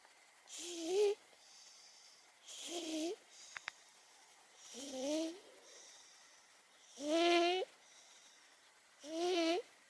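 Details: Momo, an 18-year-old domestic cat who has long snored, asleep indoors. Five loud, harsh snore bursts come about every two seconds. Each has a raspy, rising-and-falling tonal buzz between quiet breaths, in a small room.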